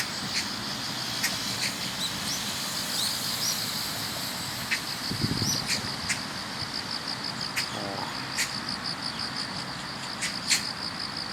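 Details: Grass insects sing in chorus as autumn arrives, morning commute: a sustained high, rapidly pulsed shrill band over low background noise, with occasional clicks, a short low burst and a brief rising chirp.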